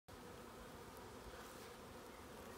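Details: Honey bees that have just moved from one spot to another, giving a dense, steady droning hum with a low, even pitch and no breaks from start to finish.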